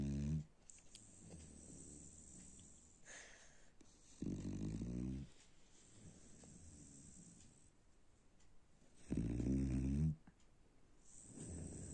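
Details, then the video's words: A dog snoring indoors; low rumbling breaths with strong bursts near 4 and 9 seconds, quieter steady breathing between them, roughly a dozen breaths a minute. "A snoring Dog"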